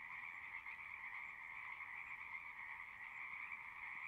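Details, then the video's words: Many frogs singing together in a continuous wall of rapid, shrill trilling, two layered pitch bands droning without pause; a constant, even chorus with no other animals or people noticeable. "One hour of singing frogs."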